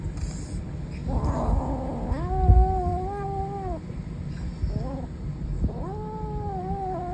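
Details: Savannah kitten growling: two long, drawn-out tonal wails with a rich harmonic stack that rises, holds steady, then dips, separated by low rumbling background noise.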